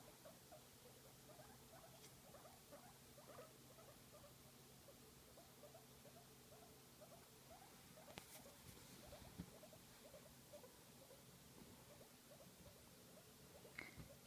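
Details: Pet guinea pig enjoying a massage: a steady stream of soft, rapid low chirps and rumbling pulses repeated many times a second for the whole stretch, with a couple of brief louder clicks.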